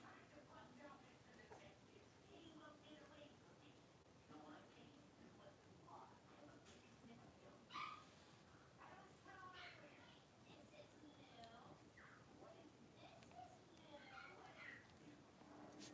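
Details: Five blenheim Cavalier King Charles Spaniel puppies, born around New Year's, play together in an indoor puppy pen at home. Short high yips and whimpering barks come and go across the stretch, with a sharper yelp near the middle and murmuring in the background.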